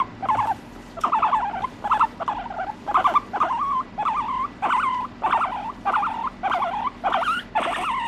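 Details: A pet guinea pig squealing with no background music: loud, regular squeaks roughly every two-thirds of a second, each rising then wavering, a sharp harmonic cry repeated about a dozen times.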